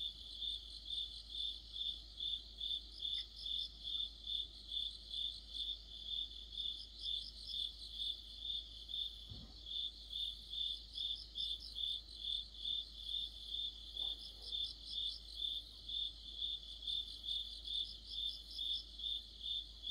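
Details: Autumn insect chorus of crickets near a streetlight, a regular high-pitched chirping repeated roughly twice each second, overlaid by intermittent bursts from another insect and a brief low thump midway.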